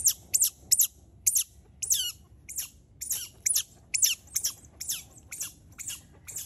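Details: Rescued baby smooth-coated otters given a shelter house: a steady series of piercing, high squeaks, some sliding downward, about two each second over a soft low background hum.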